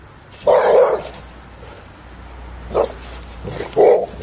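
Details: Labrador Retriever barking indoors: three short, loud barks, the first longest at about half a second, then a brief yap near 2.8 seconds and a final bark near 3.8 seconds, with light background hum.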